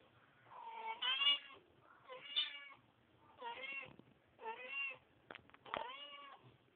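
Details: Mother cat grooming her kittens, with a run of five or six clear harmonic meows, each rising then falling, spaced roughly a second apart, in a quiet room.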